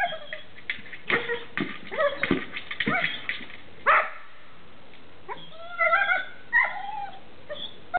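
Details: A dog at play with his favourite ball toy, making scattered yips and several drawn-out pitched whines, amid knocks, rustling and steady hiss.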